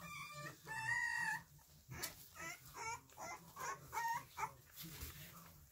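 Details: Three-week-old Pembroke Welsh Corgi puppies let out a string of high, squeaky whines and yelps, several short wavering cries in quick succession, some overlapping, over a faint low hum indoors.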